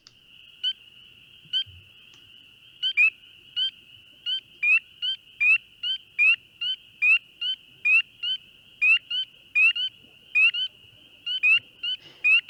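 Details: A spring peeper in Ohio gives clear, high, rising peeps, repeated a bit more than once a second.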